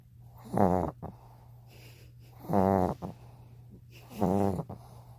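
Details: Three loud, gravelly snores from Peter, a dog dozing with eyes open, come about every one and three-quarter seconds, each a harsh nasal rasp with softer breathing between and a faint steady hum.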